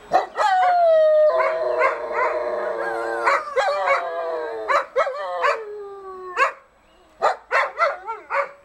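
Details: Adult female dogs howling along with a softer siren at noon on the first Monday of the month, unsettling their pups; overlapping drawn-out wavering howls rich in overtones, then short sharp yelping bursts after a brief pause.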